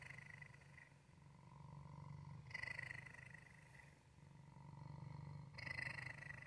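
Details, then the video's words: A male pet cat called Waffle purrs steadily, a soft buzzing rumble with louder pulses of breath near the start, middle and end of the stretch. "Waffle's purr"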